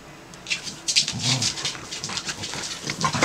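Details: Corgis fight, scuffling with low rumbling growls and sharp, noisy snarls and yaps.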